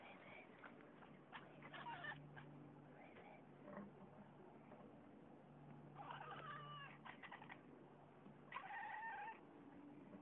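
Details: A female pet cat making clicking noises while hunting: faint bursts of rapid clicks mixed with short chirpy tones, in three clusters, over a steady low hum.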